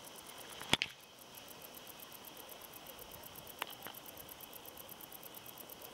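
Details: A wart-biter (Decticus verrucivorus), perched on a thistle seed head and recorded in 2021, stridulates in a steady train of fine, high-pitched ticking pulses.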